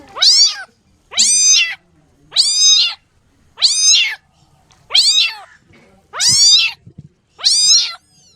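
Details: Kittens meowing: seven high, clear mews with stacked harmonics, each rising then falling, spaced a little over a second apart, in an otherwise quiet setting.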